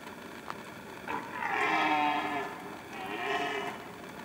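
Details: Red deer stag roaring in rut season: two long, harmonic roars that swell and fade, the first about a second and a half, the second shorter, over a steady background hiss.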